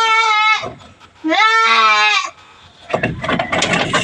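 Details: Backyard farm goats receiving vitamins and deworming treatment because some are thin: two strong wavering bleats, a short one then a longer quavering one, followed by scuffling and handling noises.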